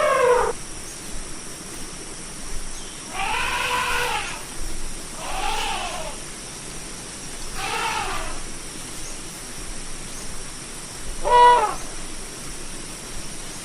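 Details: Series of elephant trumpets, the largest land animal: five separate blasts spread over about fourteen seconds. Most are brief, rough, rising-then-falling bursts; the last is short and bright. Steady background hiss.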